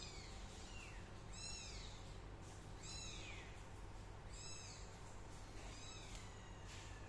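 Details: Min, a young cat, mews repeatedly: four bright, descending kitten meows spaced about one and a half seconds apart, with a constant low hum underneath.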